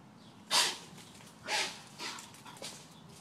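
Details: Greyhound chasing a deer, letting out four sharp, rough barks within about three seconds, the first loudest and the later ones shorter and fading, over a faint outdoor hiss.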